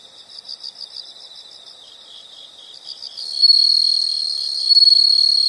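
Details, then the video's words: Insects in a relaxing nature recording: soft pulsed chirping repeated about four times a second, building into a loud continuous high-pitched trill with a thin whistled tone over it. "the sound of insects"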